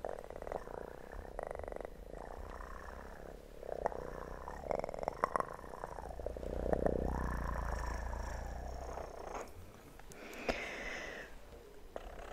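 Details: Kitten purring, recorded for relaxation, as a low steady rumble with a loose pulse. Rustling, tapping sounds are layered over it and swell and fade throughout.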